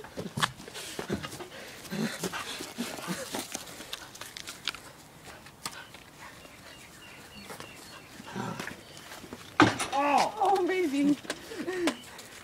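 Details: A pet dog named Aria, eager to play, tussles over a stick: scattered soft snorts and scuffles, then a burst of high, wavering whining yelps near the end, with a woman talking and laughing to the dog throughout.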